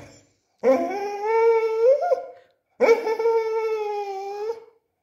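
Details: Tubby, a pet Beagle, argues with its owner for a calcium bone indoors: two drawn-out, steady, harmonic howling whines, each about two seconds long, with a brief pause between them.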